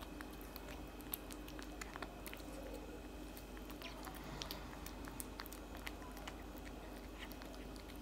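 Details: Steady munching from a tabby cat eating cat food, dense irregular crunches and soft bites following one another for the whole stretch against a low constant background hum.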